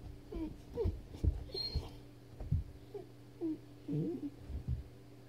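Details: Weimaraner named Jackson, frustrated while stuck under a bed for thirty minutes, indoors; a run of short, high, wavering whines and whimpers rising and falling every half second or so, with soft thumps and a steady electrical hum.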